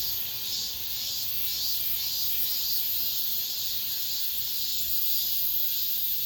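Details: Last cicadas of the summer in an apartment complex: a bright, sizzling drone of many insects, rising and falling slightly in intensity over a few seconds, steady and continuous.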